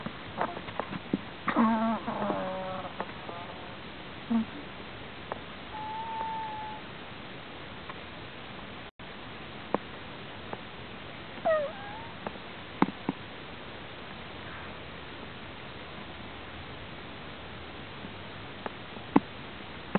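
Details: Strange snoring from a sleeping prairie dog: a cluster of squeaky, stacked harmonic notes in the first few seconds, a thin whistle around six seconds and a brief squeal later, among faint clicks and shuffling.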